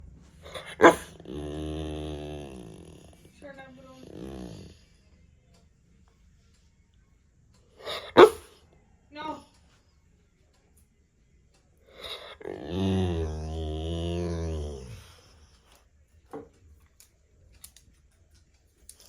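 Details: American Bully dog making drawn-out, harmonic growling vocalisations of about two to three seconds each, with sharp barks or clicks between them and long quiet gaps.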